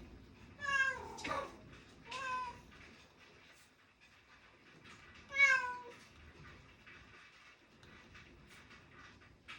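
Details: Domestic cat crying indoors during a quiet study session, three clear meows with strong harmonics, the first rising then falling, spaced a few seconds apart, with faint room noise and small clicks between calls.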